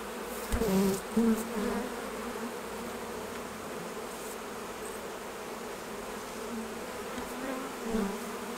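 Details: Hum of honey bees around hives while honey is being harvested: a continuous low drone, with louder buzzing passes near the start as individual bees fly close by, then a quieter steady hum and another brief pass near the end.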